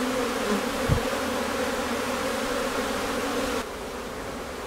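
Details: Honey bees at a hive in Newfoundland in May, colony preparing to swarm; dense steady droning hum with layered tones, one sharp low thump near one second, sound dropping slightly in level toward the end.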